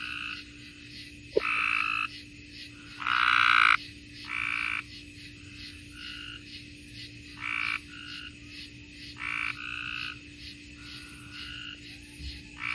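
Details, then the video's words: Mississippi chorus of tree frogs: overlapping short, nasal, harmonic calls repeated irregularly about three to four times a second across the group, one loud nearby burst early on, steady hum in the background. "Mississippi tree frogs"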